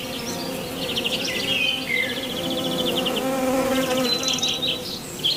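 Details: Honey bees foraging on lavender flowers: a steady, droning hum with layered harmonic tones throughout, while small birds add rapid buzzy trills and short chirps above it.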